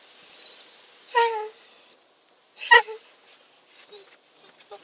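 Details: Male Basset Hound, a little worried during his first car wash, "talking" with two short, strained whining vocalizations a second and a half apart, between stretches of faint high whistling tones and quiet background noise.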